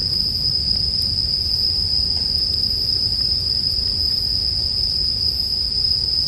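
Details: Bell crickets sustain a bright, even ringing note without pause, while a campfire hisses softly underneath and gives only a few faint crackles; a calm bedtime soundscape.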